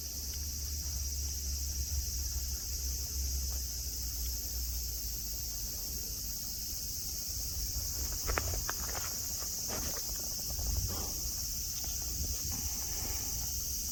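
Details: Cicadas singing at Nara Park, Japan, among grass and friendly deer: a steady, high, hissing drone runs unbroken throughout, with a few scattered clicks and soft footstep-like knocks in the second half.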